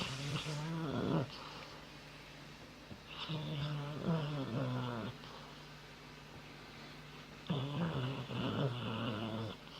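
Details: A sleeping dog snores in three drawn-out, rattling, vibrating breaths, each a second or two long, with quieter pauses of steady breathing between them.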